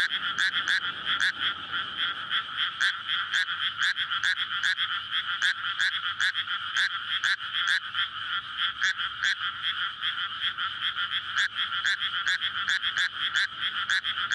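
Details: Night chorus of frogs in a flooded paddy in May, frogs courting after water is let in before rice planting; continuous dense croaking with sharp repeated pulses, loud and unbroken, recorded on a SONY PCM-D100.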